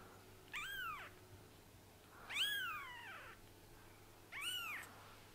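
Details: Three high-pitched kitten mews, each arching up then sliding down, the middle one longest and drawn out, from kittens whose eyes have just opened, recorded in a quiet room with a low background hum.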